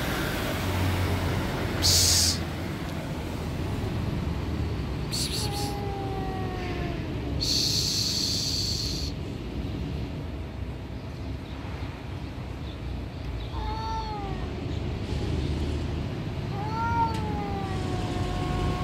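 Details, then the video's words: Alley cats under a car in a territorial dispute: several drawn-out, arching meows rise then fall, one near the middle and a pair toward the end, between short hiss-like bursts, over a constant low traffic rumble. "How to end cats territorial disputes?"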